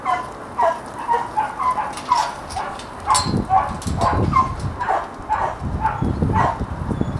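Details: Pat, a friendly, athletic year-and-a-half-old working dog started on voice commands, gives short, sharp yelping barks repeated roughly twice a second in an uneven series over low rumbling background noise.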